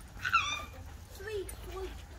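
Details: Alaskan Malamute named Dutton, together with dog friends: one sharp, high yelping whine that rises and falls quickly, then two lower, drawn-out voiced moans over soft background rumble.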